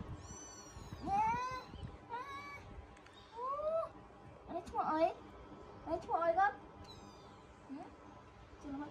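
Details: Kittens being put to bed on a countryside farm where baby monkeys are also raised: a run of high, thin kitten meows with curving, rising-falling tones, several in quick succession, with quiet human voices between them.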